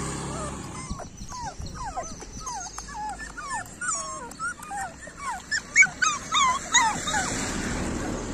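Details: Street dog puppies, several together, whining and whimpering in a rapid overlapping chorus of high, arched squeaks, some sliding up and down, rising louder toward the end over low background rumble.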